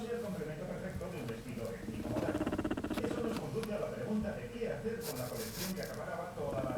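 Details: Choco, a female pet guinea pig, purring while lying on her orange pillow during a massage. Low, rapid, vibrating pulses come in rhythmic bursts, with rustling and handling noises.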